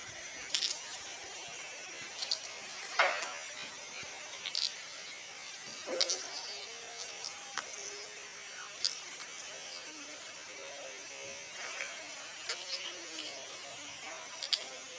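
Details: Hedgehog sneezing: short, sharp, puffy bursts at irregular intervals of a few seconds, the strongest near the three- and six-second marks, with fainter snuffles between, over a steady background hiss indoors.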